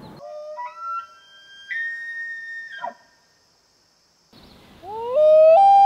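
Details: An elk bugling during the rut gives a rising glide that climbs into a loud, high, whistled note near the end. Earlier, stepped, wavering loon wails sound before a brief silence.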